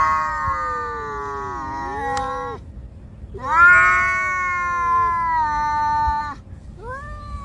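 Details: Cat facing off against another cat: sustained harmonic caterwauls lasting several seconds each, a dipping then rising wail, a long steady howl after a pause, and a short rising yowl at the end.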